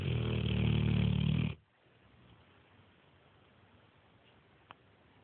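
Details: Sleeping Neapolitan Mastiff named Nero gives a deep, rattling snore for about one and a half seconds at the opening, followed by near silence and a single faint click.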